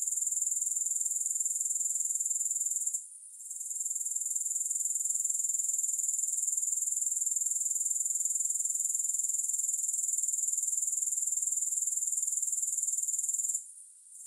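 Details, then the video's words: Grasshoppers with no music: a steady, shrill, high-pitched buzzing trill pulsing about four times a second, briefly dropping out near three seconds and again just before the end. "Grass Hopper Sounds"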